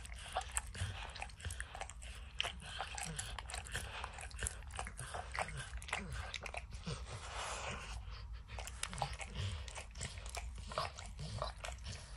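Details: Close recording of Max, a dog, licking and snacking on peanut butter and kibble stuck in an orange mat. Dense, fast wet clicks and occasional crunches continue without pause over a low background hum.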